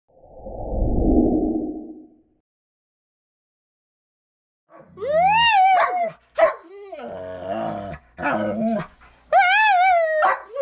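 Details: Siberian husky and Belgian malinois husky mix pulling a snowskate through a couple inches of light powder; after a low rumbling burst and silence, high arched whining yelps and yips come in short repeated bursts.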